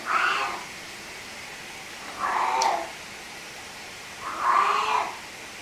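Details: Male pet cat making an odd call while playing with an orange toy bunny: three drawn-out, moaning calls, each under a second, spaced about two seconds apart, in a quiet room.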